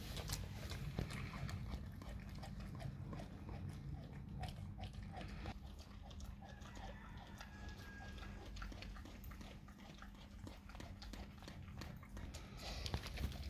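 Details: A dog works at raw cow tongue, producing dense, irregular wet chewing and biting clicks, roughly three per second, over continuous low rumble.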